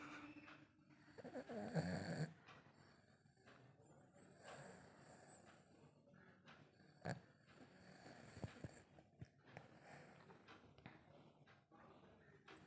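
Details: Lhasa Apso puppy named Chinku snoring while asleep: soft, low, rasping breaths repeating steadily, with a louder snorting burst near the second second, over a quiet indoor background.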